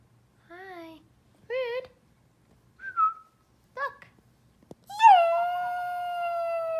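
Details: A sad dog missing its owners gives short wavering, whining yelps that rise and fall, then breaks into a long, loud, steady howl that slowly sinks in pitch.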